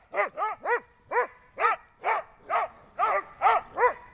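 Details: A dog barks steadily and rapidly, about ten clear, ringing barks in four seconds, each short and evenly spaced, with no other sounds around.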